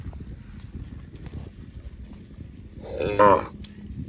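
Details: Baby cow giving a single short, high-pitched moo with a harmonic, slightly wavering tone, lasting about half a second near the end, after a stretch of low rumbling background noise.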